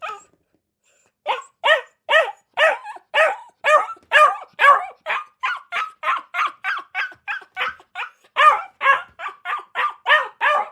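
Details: Dog giving a steady run of quick, sharp barks after a brief silence, each bark clipped and evenly spaced, with no other noise around it.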